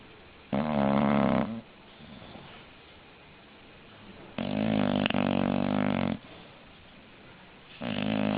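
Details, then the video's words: Snoring English bulldog, pet dog asleep: loud rasping snores with a low buzzing rattle, each about one to two seconds long, separated by several seconds of quiet breathing; three snores heard. "Funny Snoring English Bulldog"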